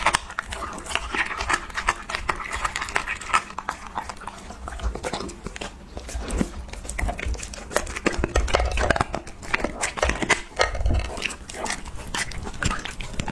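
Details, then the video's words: Husky dog eating raw mixed meat parts indoors: dense crunching, chewing and tearing clicks across the whole stretch, with deeper thuds of bone and meat around the middle and near the end; no voice from the dog. "ASMR Husky Reviewing Raw Mix Meat Parts!-Eating Dog-Asmr"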